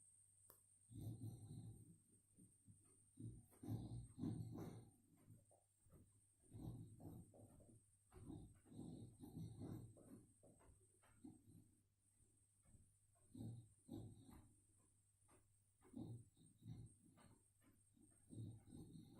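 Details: Female boxer dog asleep indoors and dreaming, a heavy sleeper caught on a mobile phone: low, rough snoring breaths come in irregular bursts about twice a second, with a steady electrical hum underneath.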